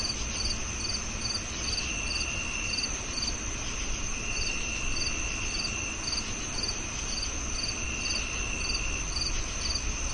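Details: Rapid, regular chirping from a cricket: short high pulses roughly two per second, with a steady shrill drone above and a soft low rumble underneath.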